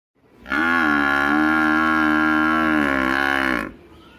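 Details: Village buffalo giving a single long, loud, steady moo lasting about three seconds, deep and rich in overtones, with a slight wavering in pitch before it stops abruptly.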